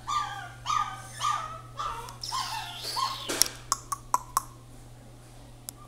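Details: Shiba Inu making a few high, downward-sliding whines, then falling quiet as sharp clicks and taps follow, with a steady low hum behind.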